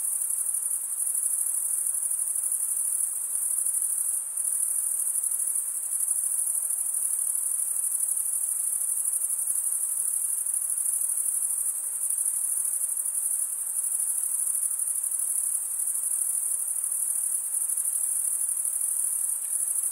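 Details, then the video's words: Crickets chirping by stridulation, mostly males running one wing along the serrated vein of the other. A sustained high-pitched trill continues throughout with only tiny dips in loudness and no other noises. "Most relaxing cricket sound for 8 hours"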